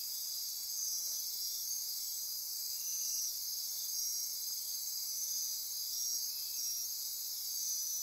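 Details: Rainforest insects at midnight near Corcovado National Park, Costa Rica's Osa Peninsula, pulsing and trilling together: a continuous high, bright hiss-like chorus with intermittent short whistled streaks, no other clear sounds.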